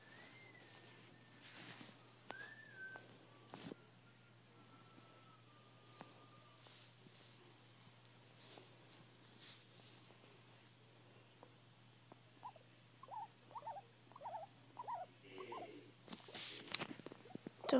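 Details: Domestic guinea pig making odd noises indoors, captured with an iPhone 4: faint falling whistled tones early, then a run of quick repeated chirps building toward the end, with light handling clatter.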